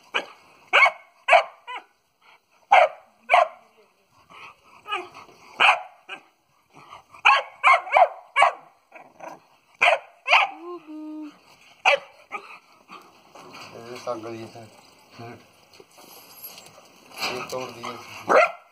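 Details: Heavy-boned Dogo Argentino in Khanpur, Delhi, barking sharply in a steady series about every second for twelve seconds, followed by a brief thin whine, a softer jumbled stretch, and renewed barks at the close.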